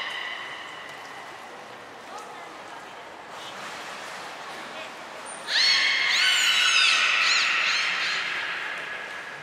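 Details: Training session with belugas Nana, Mirai and Niko at Nagoya Port Aquarium, Japan, January 2021. Faint murmurs and soft tones first, then loud bright squeals with quickly rising and falling pitch sweeps lasting several seconds, echoing in the pool hall.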